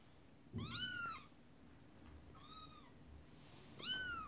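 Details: Mother cat upset as kittens play with a toy horse-drawn carriage; three drawn-out, high-pitched meows, the first and last loud and arching, the middle one softer, spaced over four seconds with a low rumble and a soft knock at the start.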